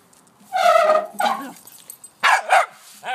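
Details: Pet dog in a backyard barking at a wheelbarrow: one loud, rough bark with a falling tail, then a pause and two quick sharp barks close together, and a softer final yelp.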